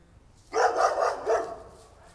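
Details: A neighbour's dog lets out a burst of three or four rapid barks running almost together, loud and mid-pitched, then fading into quiet.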